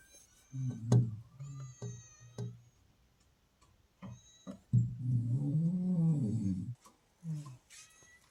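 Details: Pet cat in the hills that woke its owner every morning, giving a few short low meows, then a long drawn-out meow that rises and falls, followed by later short calls in a quiet room.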